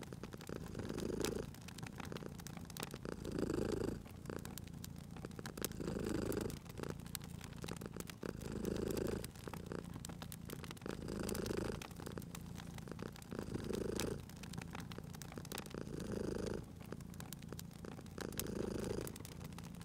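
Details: Sleeping domestic cat purring beside a crackling fireplace in a cozy spring setting; low rumbling purr swells and fades in cycles roughly every two and a half seconds, with sharp pops and snaps of burning wood throughout.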